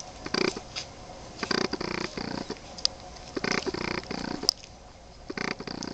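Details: Boston Terrier pups aged 23 days producing throaty, breathy growl-grunts in uneven pairs and triplets over six seconds, quiet gaps between.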